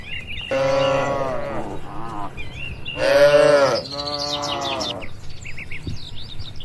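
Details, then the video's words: Free-grazing tame cattle on open green land watched by a herder; two bursts of lowing, each a rich, wavering moo with a shorter follow-up, while birds twitter faintly behind. "Suara Alami sapi & Moo Lucu"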